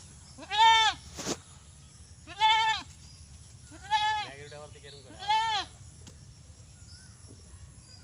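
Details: Desi goat giving four quavering bleats about one and a half seconds apart, each rising then falling slightly, with a sharp click early on and a constant low hum behind.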